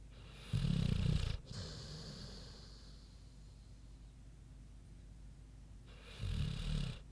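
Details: Sleeping pig Queenie snoring deeply, one loud grating low snore, a long quiet breathing pause of several seconds, then another harsh rumbling snore.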